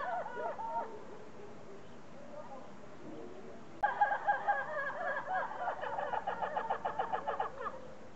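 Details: Red ruffed lemurs held at Zoo de Lagos, western Algarve, Portugal, 2014. A few raucous calls are followed by a quieter gap, then a loud burst of rapid, evenly pulsed barking calls that runs for about four seconds.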